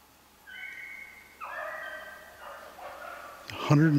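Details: Pack beagles, Dory and Gracie among them, trailing a snowshoe hare on 3/8/16: sustained bawling bays that waver and slide in pitch, overlapping into a longer chorus, ending with a man's voice speaking up close.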